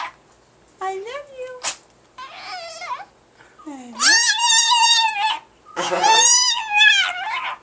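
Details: Pet Chihuahua Paco mimicking the phrase "I love you" at home: a short rising whine, a brief noisy sneeze-like burst, then two long, loud, wobbling howl-whines with rich overtones.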